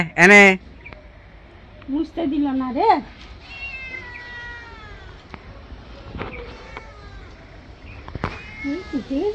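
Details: Pet cat, angry during a bath, with a sharp loud yowl at the start, then quieter rising and falling meows amid a soft voice and faint water sounds.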